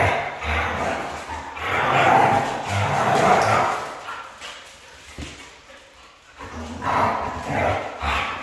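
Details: Siberian Husky, a red female, producing a series of rising and falling yowling vocal phrases in close succession, pausing briefly, then starting a new burst of rough, howl-like calls.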